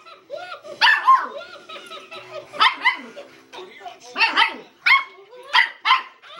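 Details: A Miniature Schnauzer puppy gives sharp, high yappy barks in quick bursts at a chattering Tickle Me Elmo toy.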